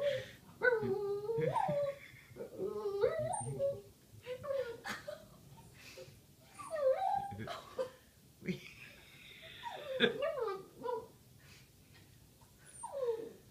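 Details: Boston Terrier howling indoors in response to a Native American flute, giving wavering, yodelling howls and whines that rise and fall in pitch in several bursts with short pauses between.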